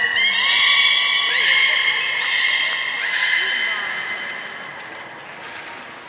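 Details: Beluga whales at Port of Nagoya Public Aquarium on 3 February 2019, during feeding and the play time after it; steady harmonic whistles with rising onsets, repeated in bursts about once a second, one thin high squeak near the end, hall reverberation.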